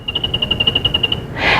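Tricolored bat echolocation, lowered to audible pitch: a quick, even train of ticking chirps ending in a breathy hiss.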